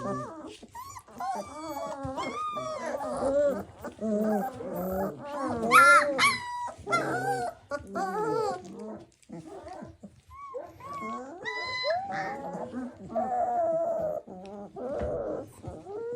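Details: Three-week-old puppies staggering about after feeding, giving a jumble of short high squeaks and whiny yelps that rise and fall quickly, several voices overlapping, with human speech mixed in.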